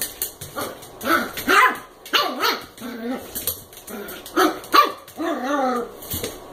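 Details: American Eskimo puppy Koda, eight weeks old, at play with a Chihuahua mix: short yappy barks and growly, wavering vocal bursts come in irregular clusters, separated by brief quiet gaps.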